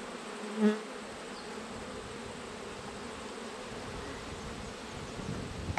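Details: A steady, even drone of honey bees inside an opened hive during an autumn inspection, with one soft knock near the start and a little handling noise at the end.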